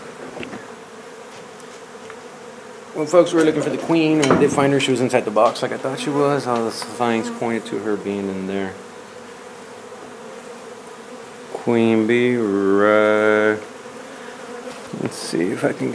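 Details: Honey bees disturbed during removal of a nuisance hive from an old home under renovation in Donna, Texas; loud buzzing bursts with rapidly shifting pitch, one long stretch and a shorter later surge, mixed with clicks and knocks from handling.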